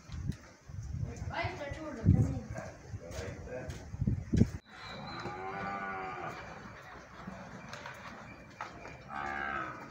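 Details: Cattle at a ranch in the countryside of El Salvador, among dairy cows and calves: long low moos with clear harmonics, one rough and rising, then a sustained drawn-out moo, with people talking and handling noises.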